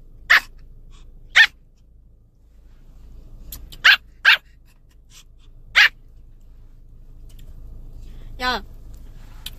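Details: Pomeranian puppy barking in irritation, its owner asking why it is so annoyed and whether it is hungry; five sharp high yaps spread over about six seconds, then a falling whine-like yelp, with quiet room hum between.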